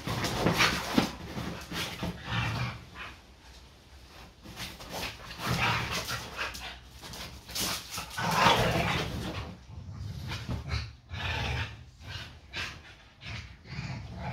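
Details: A Staffordshire Bull Terrier growls and grumbles in rough, irregular bursts during a friendly daily play fight with an American Staffordshire Terrier, its best friend.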